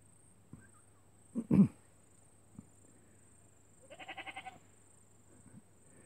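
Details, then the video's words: Miniature goats making friends with the neighbours' sheep: one quivering, wavering bleat lasting about half a second with rapid pulses, after a couple of short, loud thumping sounds and faint background hum. "Miniature Goats Bleating Loud"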